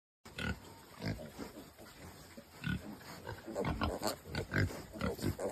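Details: Piglet vocalising in short, scattered grunts and squeaky snorts, several bursts per second at uneven intervals, with a steady high electrical whine in the background.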